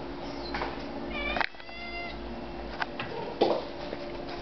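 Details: Female pet cat indoors making odd chattering sounds while watching birds at the windows; a few short rising chirps and faint clicks over a steady electrical hum.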